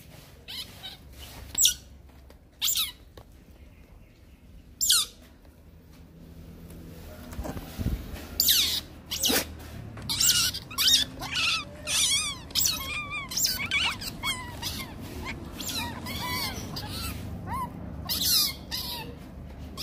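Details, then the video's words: Rottweiler puppies fighting, giving a rapid run of squeaky, high whining yelps and squeals that rise and fall, thickening into near-continuous chatter through the second half, with a few sharp broadband scuffle noises early on. "Cute Little Rottweiler Fight Baby"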